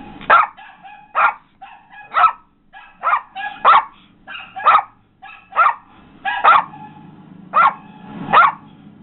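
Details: Pet Yorkshire Terrier reacting to a barking dog playing on a computer: a run of about ten sharp, high-pitched barks at uneven intervals under a second apart, with faint tonal sounds from the screen underneath.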